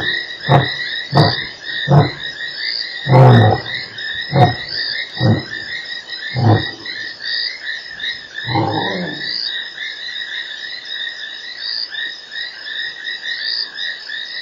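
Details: Deep grunting from a lion at Nkorho, 3 March 2008: about eight low, hoarse grunts at uneven gaps, then a softer, drawn-out grunt before the call dies away, leaving constant high insect trilling.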